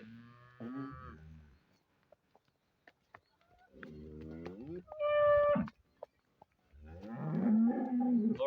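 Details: Friesian cattle offered for sale in Pakistan: several deep, harmonic moos separated by short pauses, with a brief higher tonal note in between and faint clicks and handling noises in the background.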